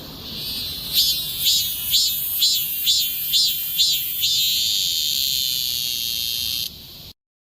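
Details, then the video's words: Cicada recorded on 28 July 2026, loud enough to wake a sleeper: shrill, high buzzing pulses swelling about twice a second, merging into a steady piercing drone that cuts off abruptly near the end. "잠을깨우는 매미"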